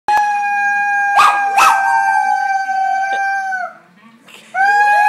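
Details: Male dog howling loudly: one long, steady, tonal howl held for over three seconds with sharp clicks, a short quiet gap, then a new howl starting up.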